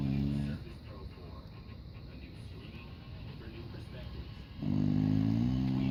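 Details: Diapered English Bulldog asleep: a loud, low, grating snore opens the recording, then a hushed pause, then another long rumbling snore begins near the end.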